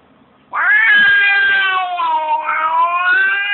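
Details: Pet cat giving one long, loud, drawn-out yowl lasting about three seconds, wavering in pitch with a slight dip and rise near the end, starting abruptly after near silence.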